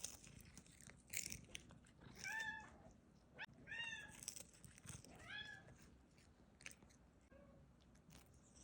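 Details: Bengal kitten eating, giving three short arched, harmonic mewing cries spread over a few seconds, each rising then falling, mixed with sharp crunching and chewing clicks of food and a low background hum.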